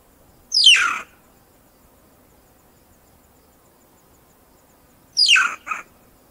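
Two shrill banded mongoose squeals, each sweeping sharply downward, the second followed by a brief clipped note.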